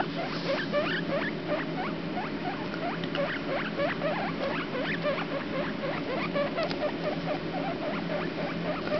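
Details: Squeaking from a pair of 4-day-old guinea pig pups, a boy and a girl called the runt and Comet: a continuous stream of short upward-flicking notes, several each second, over a steady low hum.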